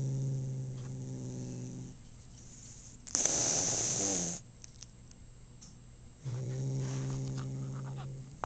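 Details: Tom cat just home from having his teeth cleaned at the vet, making a low, even, buzzing moan in long stretches separated by a rough hissing burst and a quiet gap, then droning again.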